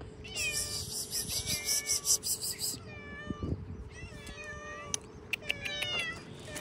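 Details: Hungry cats outdoors, eating cut fish, meow over one another: many overlapping harmonic, wavering mews, several rising then falling. A steady faint tone runs underneath, with scattered clicks and clatter.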